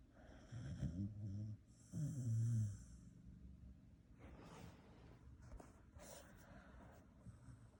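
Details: A Shiba Inu asleep in bed beside people snores in low, rumbling rasps, two long drawn breaths close together.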